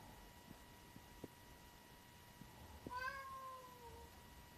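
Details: A bicolor tuxedo (hachiware) domestic cat, recorded 9 April 2025, gives a single drawn-out meow lasting about one second, slightly falling in pitch, over a steady electrical hum and a few soft clicks.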